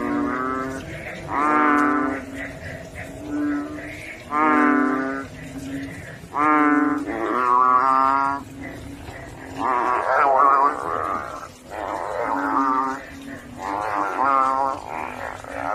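Banded bullfrogs give deep, bleating, cow-like calls, each about a second long, overlapping in a chorus.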